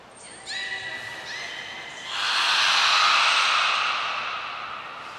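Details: Nana the beluga being shifted between pools at Port of Nagoya Public Aquarium, 9 August 2022: two short, clear, harmonic whistled tones in the first two seconds, then drowned by a long surge of rushing water.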